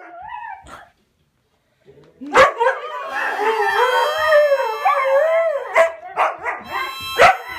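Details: Husky dogs Jovie, a little over two, and Angmar, six months, howl along while harmonica is played, with Anyah, 3.5, howling in the back; after a short quiet gap, overlapping wavering howls rise and fall, broken by sharp clicks.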